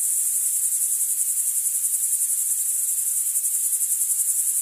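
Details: Bow-winged grasshopper (Chorthippus biguttulus), song.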